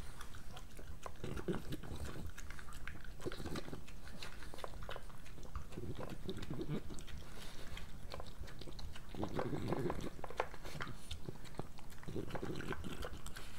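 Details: Moolah, a pregnant French Bulldog, chewing her breakfast in a small room; crunchy biting and smacking in repeated clusters every few seconds over a low rumbling background.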